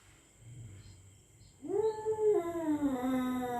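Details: Territorial cat at night threatening a rival: after a quiet start, a single drawn-out, steady howl rises and then holds a level tone, gradually dipping slightly.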